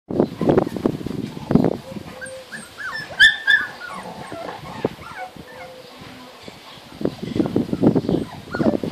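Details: 36-day-old Labrador/Golden Retriever cross puppies give high, thin whines that bend up and down as they try to climb three stairs to reach their mother; people talk at the start and end.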